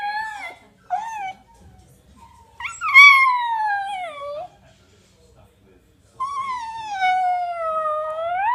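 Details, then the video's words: Archie, a miniature dachshund, howls in long, wavering tones that slide downward, after a few short yelps. "Mini dachshund Archie howling and yawning"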